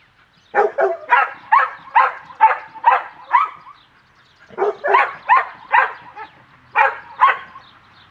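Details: Cimarron Uruguayo dog doing trick training with hand signals, Cerberus Illusion kennel: a run of about seven rapid barks, a short pause, then six more, steady rhythm of roughly two barks per second.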